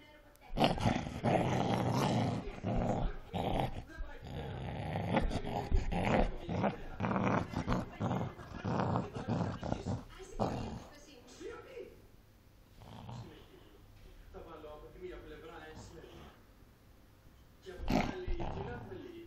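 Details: Angry Cocker Spaniel growling while fighting: harsh, rough, noisy growls in dense bursts for about eleven seconds, then quieter intermittent snarls with some voice-like tones, and a final loud burst near the end.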